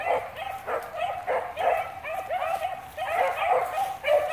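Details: Rabbit-hunting beagles of the Blackcreek line in full cry on cottontail, bluetail or swamp rabbit scent; clustered melodic bays that slide downward, bursting in waves about every half second to second.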